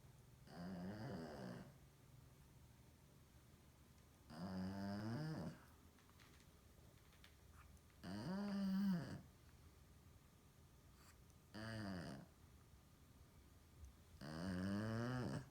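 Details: A female Shih Tzu asleep in her living-room bed around 10 PM, tongue out, snores very loudly in deep, rattling breaths of about a second each.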